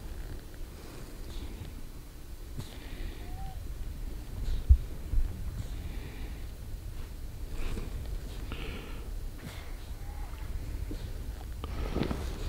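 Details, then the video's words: A harp seal pup gives low, soft rumbling and snorting breaths with a few faint higher squeaks while waiting for its mother, who has dived into the sea. "Baby harp seal waiting for its mommy./ママを待つ赤ちゃんアザラシ"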